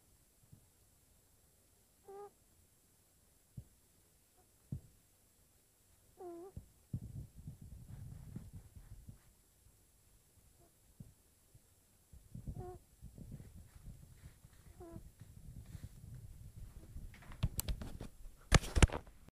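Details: Snoring of a sleeping female kitten: isolated soft squeaky whistles at first, then longer low raspy breathing passages; sharp clicks and rustling handling noise near the end.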